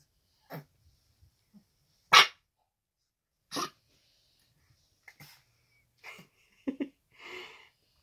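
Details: A Staffordshire Bull Terrier puppy, five and a half weeks old, gives a few short, breathy, sneeze-like barks, perhaps its first cry, with a woman speaking softly.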